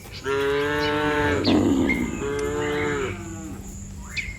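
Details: Dozens of cattle lined up along a road, mooing as if calling the herd to come home: two long, rich, slightly falling moos, each about one and a half seconds, with outdoor background sounds.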